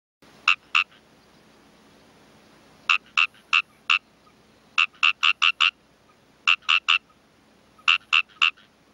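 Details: Craggy frog calling in bursts of short, sharp, clicking notes, two to five per burst, with pauses of one to two seconds between bursts, over a quiet background.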